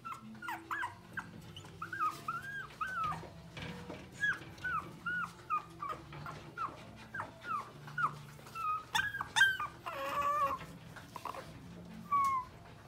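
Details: Maro, a newly bought female long-haired Chihuahua puppy weighing 600 g and born on 6 January, whimpers steadily with thin, wavering, high squeaks, some bending up then down, in uneven bursts, with faint rustling underneath.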